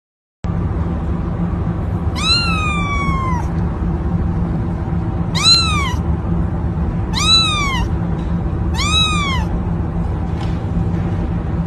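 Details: Kitten meowing in four drawn-out, rising-then-falling cries with rich harmonics, the first longest and the rest shorter, spaced about two seconds apart over a steady low hum.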